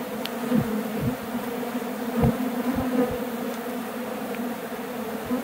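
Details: A dense, steady hum of many Western honey bees in flight, low and droning with a rich buzzy tone, as a swarm flies back to a hive box after an apparent abscond attempt, its queen caged.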